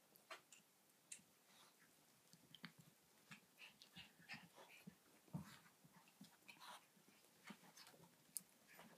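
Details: Seven-week-old Yorkshire Terrier puppies give soft, high whimpers and squeaks amid quiet snuffling in a small room.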